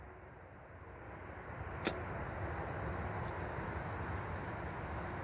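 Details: Steady low outdoor rumble like distant traffic, broken by a single sharp click near the two-second mark, with no animal voice.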